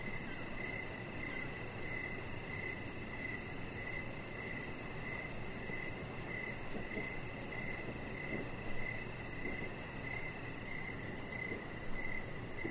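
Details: Chorus of crickets on an evening deck, bright regular chirps roughly three per second forming an unbroken rhythm, a very high fast pulsing trill layered on top, over steady low background noise.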